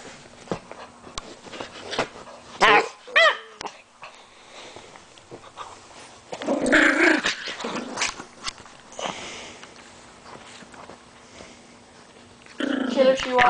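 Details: Pit bull dog indoors in a small room, described as fighting; scattered short growls and snarling bursts, loudest around the third and seventh seconds and again at the end, separated by quieter gaps with faint background hum.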